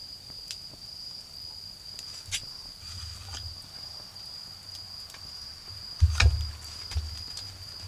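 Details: In a garden with a bonfire burning, autumn insects keep up a thin, steady high trill while louder crackling bursts from the fire and a deep rumble of distant vehicles come to the front.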